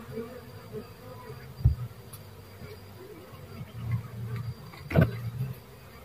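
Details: Dwarf honey bee buzzing in low, droning bursts that swell and fade over several seconds, with a couple of sharp knocks in between and a quiet background.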